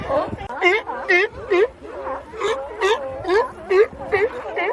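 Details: Sea lions calling in a rapid run of wavering, honking barks, about two per second, each with a rising-falling tone, with overlapping calls suggesting more than one animal.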